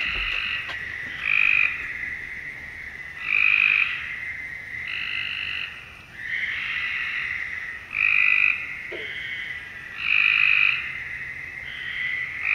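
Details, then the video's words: A frog at night gives short, bright, rasping calls about every two seconds over a steady high chorus. "Frog Sounds at Night"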